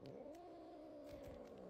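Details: Pet cat giving a sustained, even, tonal growl that wavers slightly in pitch without a break, with faint clicks in the background.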